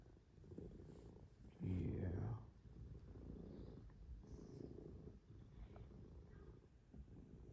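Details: Cats purring during Sunday morning cuddles indoors: a low, continuous rumbling purr with a rapid pulsing texture, briefly interrupted by a short spoken word from a person.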